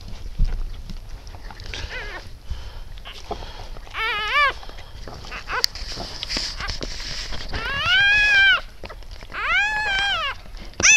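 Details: Siberian Husky litter of eight, just born to Shony on the evening of 12 December 2015; several thin, arching squeals, some rising then falling, scattered among handling noises and faint voices.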